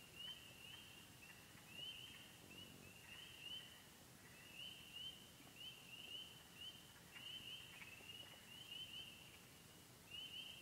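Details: Remote pond in the Yellow Dog Plains of Upper Michigan, home to wood frogs, spring peepers, green frogs, gray tree frogs and toads: a shrill continuous frog chorus, dotted with bright rising peeps arriving in irregular bursts, about 39 a minute.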